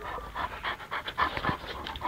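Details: Dogs panting during a fight between a Dogo Argentino and a Kurdish Kangal: rapid, breathy, rhythmic pants of roughly four to five per second, with a person talking nearby.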